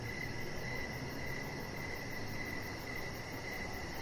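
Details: Crickets outside on an evening deck give softer, uneven mid-pitched chirps beneath a rapid high-pitched pulsing trill, with steady low rumbling noise.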